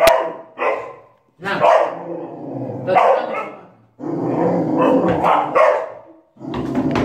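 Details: Dog protecting a child, giving loud rough barks and growling bursts in irregular clusters separated by short pauses, with human voices mixed in.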